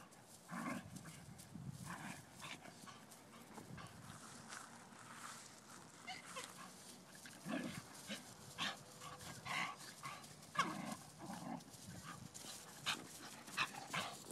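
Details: Playful tussle between a blue nose Pit Bull puppy aged ten weeks and a five-year-old Vizsla: scattered short yips and huffs over steady scuffling, with louder bursts near the middle and end.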